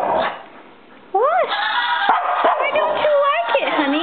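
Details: Naomi, a pet dog upset by the Razorback, lets out rising and falling whining, howl-like cries after a short quiet pause. A woman speaks over the calls.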